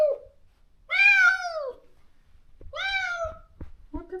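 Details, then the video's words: Healing from her neutering surgery, the female stray Moka calls for her lost companion with two long, bright meows that arch and fade, followed by a short lower sound. "강제로 헤어진 단짝을 찾아 매일 울부짖는 고양이"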